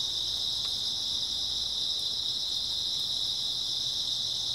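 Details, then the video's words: Grass insects on an early autumn night, from night into dawn: a dense, steady high-pitched chirring chorus runs without pause, with faint low background rumble and no other clear sounds. "초가을 밤부터 새벽까지 백색소음 풀벌레 소리"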